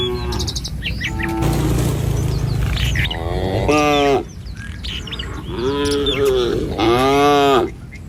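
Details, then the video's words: Tame village cattle herd walking leisurely along a rural road in the morning, heading to a field to forage; two drawn-out, arched harmonic moos near the end, with bird chirps scattered throughout and a low rumble beneath. "Suara Sapi Mouu"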